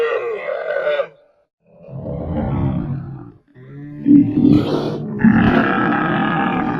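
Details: A camel lets out a throaty bellow, then a lower rumbling roar, followed by a loud gurgling, burp-like groan that carries on to the end.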